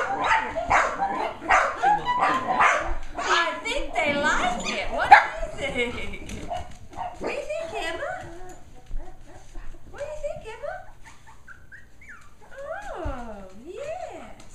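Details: A litter of nine Shetland Sheepdog puppies excited by the Popcorn Song played to them for the first time; rapid volleys of shrill yips and barks at first, then long rising and falling howling whines, music beneath.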